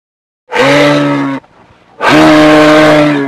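A moose gives two long, loud, moaning bellows, steady in pitch and separated by a short pause.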